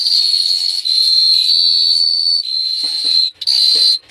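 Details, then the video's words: Crickets chirping at night in Phteah Prey: a steady, shrill high-pitched trill runs almost without a break, dropping out briefly twice near the end, over a faint low rumble. "The Sound of Cricket Chirping is amazing"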